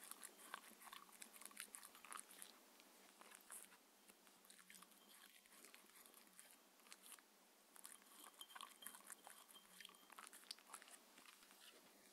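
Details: Mindy, a six-year-old female Shetland Sheepdog on a raw food diet, eating her daily dinner indoors; dense, steady crisp clicks and wet smacking crunches continue throughout, with bursts of louder bites and no talking.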